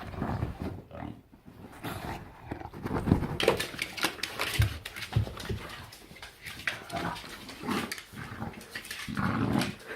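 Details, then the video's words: Bulldog making odd gremlin-like noises: low snorting grunts and rumbling growls in irregular bursts throughout, with short snuffles; indoors, people talking and laughing nearby. "Bulldog making weird sounds looking like Gremlin"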